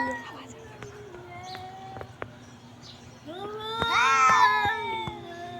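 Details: Cat giving a long, drawn-out meow, rising then sagging with rich harmonics, preceded by softer wavering tones and clicking noises over a steady low hum.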